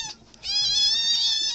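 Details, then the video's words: Cat or kitten meowing indoors: a single sustained, high, tonal meow with rich harmonics, rising slightly at onset and holding level for about a second. "Cute Cats and Kittens Meowing"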